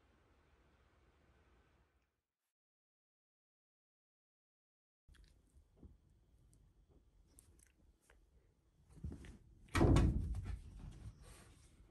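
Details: Indoor thumps and a louder door-like knock break a quiet room with a silent gap, and no animal voice is heard.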